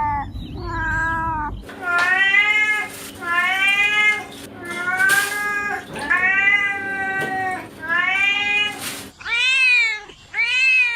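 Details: Cat giving a run of long, arching meows that rise then fall, several back to back, with a brief low rumble at the start and a couple of shorter, sharper meows at the end.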